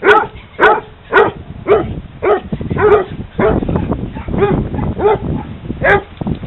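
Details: Playing hounds at a dog park give repeated loud barks about every half second, each bark a short harmonic burst, with a steady murmur of background noise between them.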